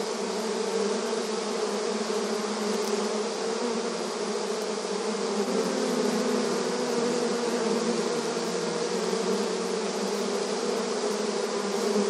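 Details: Continuous drone of a busy honey bee colony at the hive entrance, rural ambience; layered buzzing with a deeper hum briefly swelling near the middle as individual bees pass close, otherwise even and unbroken.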